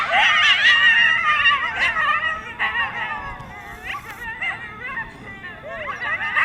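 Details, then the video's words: A coyote pack near DeBell Golf Course by Wildwood Canyon in Burbank, California, yips and howls together in a frantic, overlapping chorus of high, wavering cries, louder in person than recorded. "Coyote pack making loud noises in Burbank, CA"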